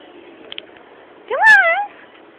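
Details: Pet female cat indoors asking for food; one clear drawn-out meow that rises, then slowly falls, lasting about half a second, with the owner speaking softly before and after.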